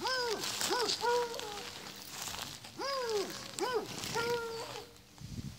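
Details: Miniature donkey (Equus asinus), bray.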